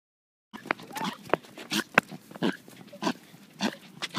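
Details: A pet dog making weird noises: after half a second of silence, a series of short, irregular breathy snorts and grunts, some with brief honking tones, spaced unevenly over about four seconds.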